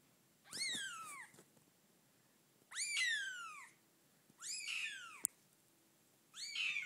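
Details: A 6-day-old Bengal kitten, its eyes just starting to open, gives high, thin mewing cries that slide downward, repeated about every two seconds.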